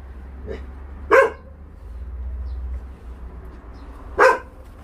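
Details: Stray dog being moved by volunteers from the Naraeul Center in Ulsan, giving two loud sharp barks about three seconds apart over low vehicle rumble, with a faint softer bark just before.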